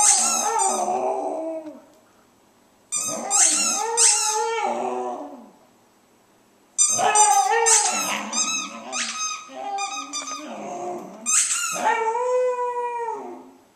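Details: Domestic dog howling to the sound of her squeaky ball: drawn-out, wavering tonal howls in three bursts separated by short silences, with sharp high squeaks from the toy layered over the voice.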